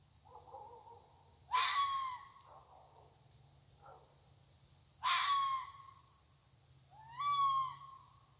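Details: A red fox in a side yard at night gives three loud, harsh, hoarse calls a few seconds apart, calling persistently.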